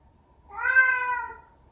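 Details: Bengal cat, a vocal pet, utters a single clear, smooth meow that swells and then fades away.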